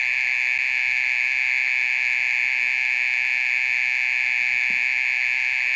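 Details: Mole cricket calling in the middle of the night, loud enough to be bothersome, one of a session lasting over thirty minutes; a steady, unbroken high buzzing trill with strong overtones, even in loudness from start to finish.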